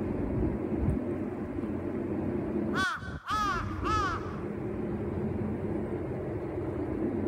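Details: Uzura, a 119-day-old kitten, at bedtime with her owner, wanting to stay up: three quick arched meows in close succession midway, each rising then falling, over a steady low household hum.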